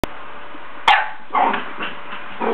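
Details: Sadie, a playful female puppy who has been chasing her bone, gives a sharp, bright bark, then a few softer, shorter yips follow at irregular intervals over a steady background hiss.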